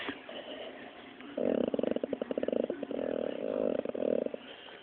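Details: Dropsik, a Pit Bull being scolded, grumbles back in a low, rapidly pulsed, throaty rattle lasting about three seconds, broken into quick irregular bursts, quiet against a faint hiss.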